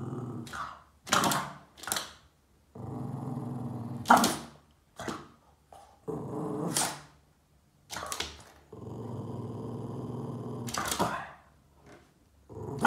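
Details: Boston Terrier dog indoors, chasing shadows on the wall and getting upset, growling at them: long low rumbling growls broken by sharp short barks and yips, bursts coming every second or two with brief quiet gaps.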